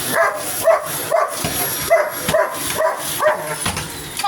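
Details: Hogan Bogan, a pet dog, barking at a vacuum cleaner: sharp yappy barks repeated roughly twice a second, about ten in a row, over a steady high whine, with a little human speech.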